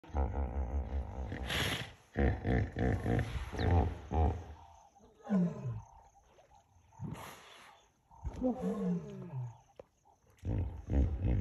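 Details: Three lions on the bank of the Talek river in the evening, drawn by the smell of a hippo carcass, roaring in competition with hippos: deep, low pulsed grunting bursts in series, with descending moaning calls between them.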